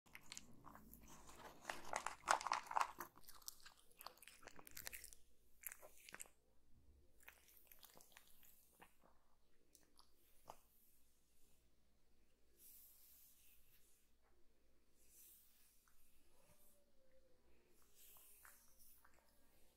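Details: Kitten eating, recorded indoors for ASMR relaxation. Loud, dense crunching and biting bursts fill the first six seconds. Softer, scattered chewing clicks follow in a quiet small room.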